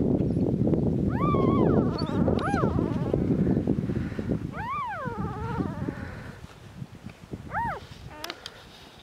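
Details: Border Collie puppies, part of a litter of seven born to GLYCINE on 14 February 2019 at the Domaine des Tourelles farm, two days old: several high arching squeals with rich harmonics over a low rumbling background of handling noise.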